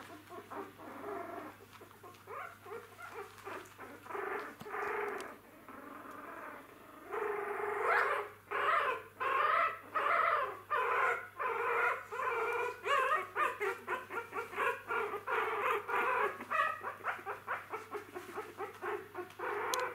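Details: Newborn Jack Russell Terrier puppies, eyes just opened and taking first steps, indoors; overlapping high squeaky whimpers and short yelps from several pups, sparse at first, then quick bursts about once or twice a second, steady low hum behind.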